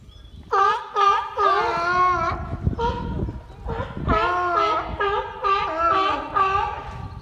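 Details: A harbor seal at Nuremberg Zoo (Tierpark Nürnberg) calls in a series of drawn-out, nasal, bleating moans, each rich and tonal and bending up and down in pitch, with short gaps between them.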